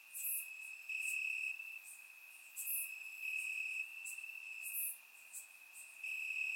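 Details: Warm summer night in Bulgaria with crickets in the grass: a constant shrill trill underlies loud, very high chirp bursts repeating about every one to two seconds, recorded with a surround microphone.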